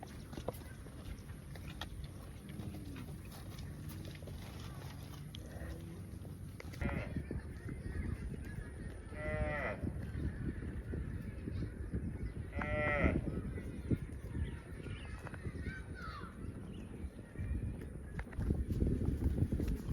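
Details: Cows running and jumping in farm fields; two brief harmonic moos stand out midway amid steady low rumble and background noise.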